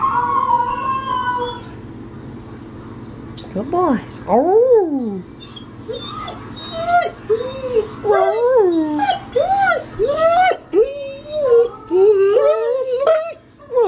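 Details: Denali and Echo, pet dogs, react to recorded calls of Mishka and Laika: a held tone, then sharp rising-falling yelps and a string of short, bouncing arched howls, loud and close.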